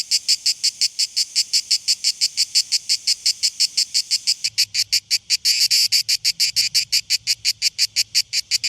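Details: Cicadas on Mallorca in early July summer buzz in loud, rasping pulses, about three a second, high-pitched and steady throughout, with a faint low rumble in the background.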